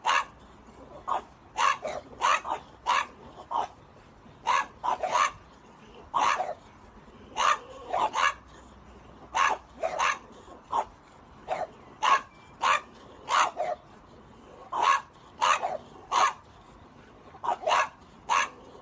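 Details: French Bulldog barking persistently, brief high yaps often doubled or tripled in quick bursts, continuing with irregular gaps for nearly twenty seconds, background otherwise quiet.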